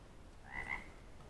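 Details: An unidentified frog or toad (species and even frog versus toad uncertain) gives a short, nasal croak against a low background rumble, with insects also present.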